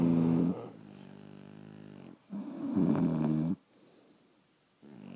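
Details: Pet French Bulldogs asleep indoors: two loud, droning, nasal snores with a humming tone, the second longer and harsher, followed by quiet breathing.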